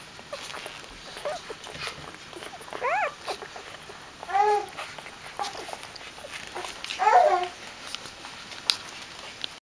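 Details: Dobermann puppies greeting their mother Jessica back from a walk, giving short high arched whines at intervals, each rising then falling in pitch, with faint scuffling and soft voices in the background.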